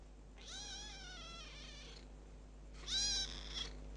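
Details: Young adopted kitten, ten days into its new home, letting out two drawn-out meows: a long wavering cry of about one and a half seconds, then a louder, shriller second call after a short pause.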